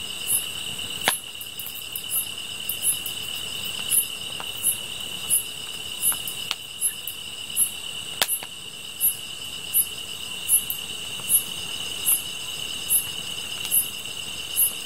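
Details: Grass insects singing beside a fire: an unbroken shrill drone in two high layers, overlaid by evenly spaced bright chirps, while loud woody pops and crackles burst out now and then.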